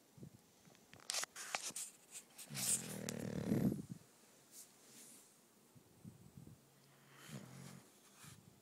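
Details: Female English Bulldog Bella, known as Mushy Mama, snoring in her sleep beside her companion Fella; a loud rough snore of about a second and a half follows scattered clicks and rustles, then softer, quieter breaths.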